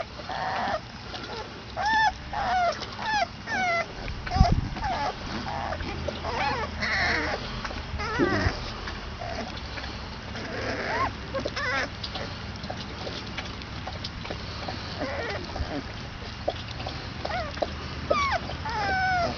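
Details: Basset Hound puppies, 22 days old, squealing in a litter: overlapping thin high whines, many sliding downward, scattered in bursts with a brief thump near the middle and a steady low background hum.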